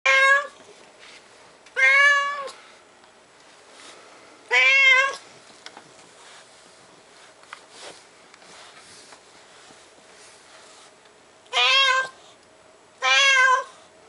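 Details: A cat named Ushi meows while being wiped, lively this spring: five loud, harmonic meows, two close together at the start, one near five seconds, then two more near the end, with soft rustling in between.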